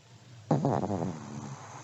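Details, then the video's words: Brief fluttering snore from a sleeping elderly Pomeranian: a sudden rough, pulsing rattle that starts loud and fades out over about a second, low and throaty rather than tonal. "(sleeping dog snoring) 睡眠用おじじポメのイビキ"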